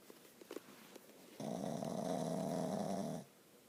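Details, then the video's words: Snoring from a sleeping dog indoors: a single rough, vibrating snore lasting nearly two seconds, steady and rattly, preceded by a few soft taps and clicks. "Dog snoring"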